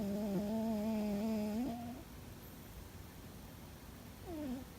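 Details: Loud snoring from Fuzzy, a sleeping cat that seems to be dreaming: one steady, harmonic, humming breath lasting nearly two seconds, a long quiet pause, then the onset of a falling tone at the end.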